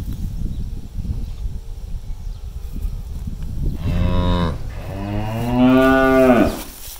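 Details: Cattle let loose to eat grass in a farm rice field: after rustling and grazing noise, a short moo then a longer rising, strained bellow, both richly harmonic.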